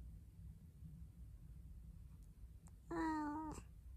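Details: Talking cat in a small indoor room, quiet for nearly three seconds before one steady, slightly falling meow of about half a second, with faint room hum underneath.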